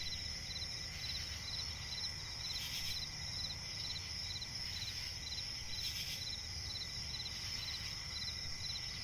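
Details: Night chorus of crickets in a swampy forest. Quick, regular chirps come roughly twice per second beneath a steady shrill tone, broken by occasional soft hissing swells and a low rumble.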